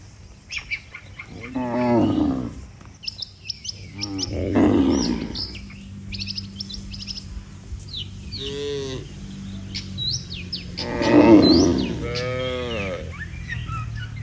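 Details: Tens of tame cattle returning together to their barn after a day on open pasture: a series of deep, harmonic moos, some overlapping, spaced every few seconds, with lively birdsong and chirping around them.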